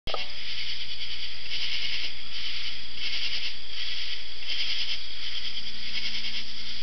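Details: Insects calling at night in a forest in Georgia: a dense, steady high buzzing chorus with pulsing swells about every second, plus a faint low hum.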